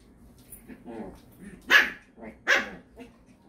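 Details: Indoor poodle barks from the house of the two poodle brothers Iruma and Dory, with the naughty Dory out of his fence on a leash: two sharp, bright barks close together, with softer grunting and shuffling sounds between them.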